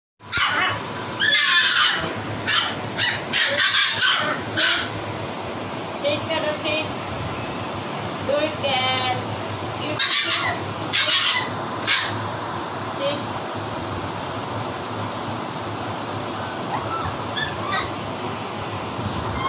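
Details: A litter of Siberian husky puppies yap and yelp in quick, high-pitched bursts, begging for food; the owner suspects they may also be thirsty.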